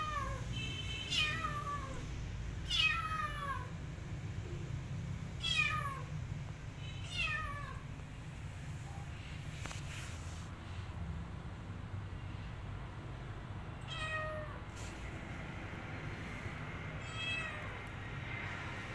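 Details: Pregnant, starving cat asking for food, her abandoned kitten still following her: a series of clear, downward-sliding meows, roughly every one to two seconds, with a low steady rumble underneath.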